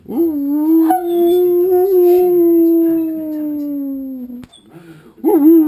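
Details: Two pet dogs howl indoors along with wolves heard on television, a group howl said to strengthen their pack bond; one long, steady, mournful tone held about four seconds and gently falling, then a brief gap and another rising howl begins.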